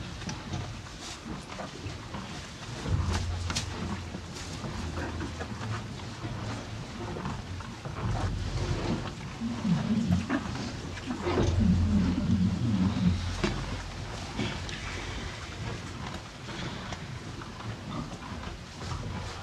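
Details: Two cows eating hay, close up: steady crunching and munching repeated about three times a second over a low rumbling background, with louder bursts of chewing midway.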